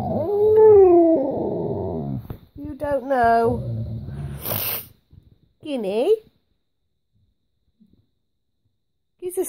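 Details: Guinness and Carling, a pet Alaskan Malamute and Husky wanting their breakfast, give a drawn-out wavering howl and a shorter broken moan indoors, mixed with a woman talking to them and brief quiet gaps.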